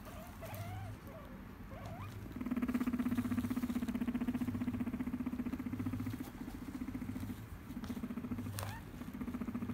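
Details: Tame guinea pig in Japan, attached to its owner, purring: after about two seconds a low, rapid, buzzing rumble starts and runs steadily for around eight seconds, with a brief pause near the end. A few faint squeaky notes come early.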